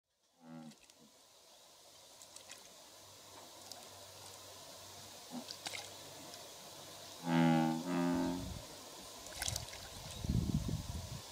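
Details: Male American bullfrogs in a territorial dispute give deep, resonant, drawn-out croaks, recorded in Japan at Kubokawa Ihatov on 17 June 2016.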